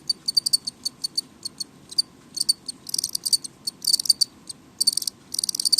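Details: House crickets kept indoors chirping loudly: bright, high trilled chirps in quick bursts, sometimes single, sometimes clustered into dense runs, with short pauses between; a faint low hum underneath.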